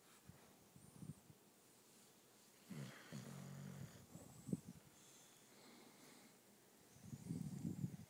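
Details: English Bulldog Bella, a female nicknamed Mushy Mama, snoring loudly while asleep at home; low rumbling snores in bursts near three and seven seconds with quieter breathing between, a faint high whine in the background.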